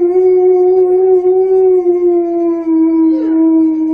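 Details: An Alaskan Malamute howls to a crying baby, giving a long, steady, mellow howl that slowly sinks in pitch.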